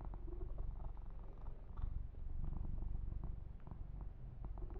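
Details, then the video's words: Yumak, a male kitten, purrs while being massaged and groomed; a deep even rumble runs throughout, broken by soft scattered ticks and rustling of fur under fingers. "1 Hour Kitten Massage - Perfect Sleep Helper Ear to Ear Purring"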